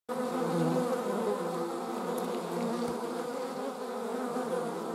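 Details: Honey bees, with wasps also present and filmed in slow motion, buzz in a steady, dense drone of many overlapping wingbeat hums.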